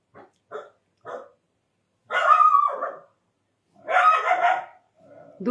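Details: Indian dog barking: three short, light barks in quick succession, then two long, hoarse, drawn-out barks with a whining tonal stretch, plus some low murmur near the end.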